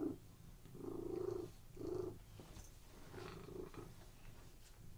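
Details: Cat purring while resting on a bed, relaxed; a few soft purr bursts early on that fade into quieter, rougher rumbling with faint background noise.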